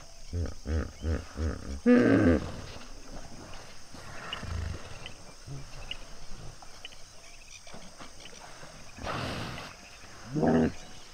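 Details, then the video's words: A pod of common hippos at sunset at Duba Plains in the Okavango Delta: a run of deep, rhythmic grunting pulses building to a loud honking burst, then quieter rumbles and a second honk near the end. "Sunset and hippo pod at Duba Plains, Okavango Delta - full length with hippo sounds"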